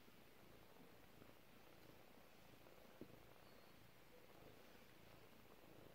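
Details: A 4-week-old kitten purrs softly in a low, steady rumble.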